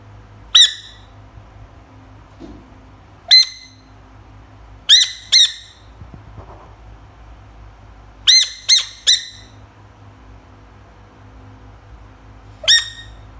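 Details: Screaming frog, described as funny and cute: sharp, high-pitched squawking cries with stacked harmonics, given singly or in quick pairs and triplets, separated by pauses of one to three seconds over a low steady hum.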